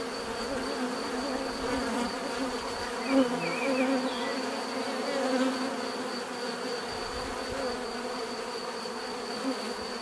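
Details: Bees drone steadily in a dense humming buzz, swelling slightly at moments, with a few faint chirping notes above and a constant thin high whine.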